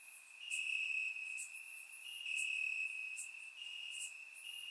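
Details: Night chorus of crickets in Bulgarian grass on a warm summer evening, surround-recorded; a continuous high-pitched ringing trill with brighter pulses rising and easing about once a second.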